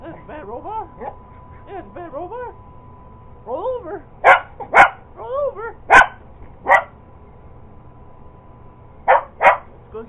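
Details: Purebred Cocker Spaniel going after an iRobot Roomba robot vacuum. A person talks at first, then the dog lets out a run of loud, abrupt barks, mostly in close pairs, and falls briefly quiet before two final barks.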